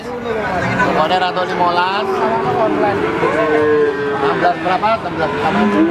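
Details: At Wagenan cattle market, Pati, Indonesia, on 5 March 2019, adult feeder cattle give wavering, mid-pitched moos mixed into loud market speech and background traffic.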